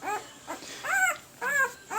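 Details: One-week-old Pembroke Welsh Corgi puppies, red/sable and blue boys, give high, arching whimpers and squeaks in quick succession; most of the whining is thought to come from the blue boy.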